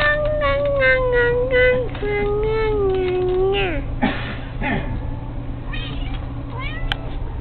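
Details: Kitty tugging at a fishing pole, uttering two long sustained mews that sag gradually lower in pitch, followed by a few shorter broken cries and faint rustling against a steady background hum.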